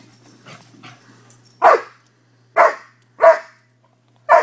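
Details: Playful barking from two five-month-old Newfoundland–Labrador mix puppy brothers; after soft grumbling, four loud, abrupt barks ring out roughly every second, with a faint steady low hum in the background.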